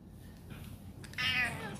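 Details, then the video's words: Male domestic cat meowing indoors to be let out through the door, a request meow: one short, bright, falling meow near the end, after faint low background noise. "so now you guys know the sound of a cat that wants something that's that means they're asking you for something"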